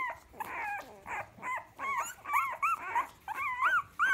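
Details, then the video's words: Staffordshire Bull Terrier puppies of Ruby's first litter squeaking and whining in quick, uneven bursts, thin arched cries overlapping with a light hiss of background noise throughout. "STAFFORDSHIRE BULL TERRIER PUPPIES"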